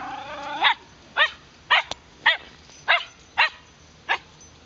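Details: Wire Fox Terrier barking in Shinjuku Central Park, one of the dogs Muu and Moa, captured with a LUMIX FT1: seven sharp, ringing barks at roughly half-second intervals, the first drawn out and whiny, over quiet park ambience.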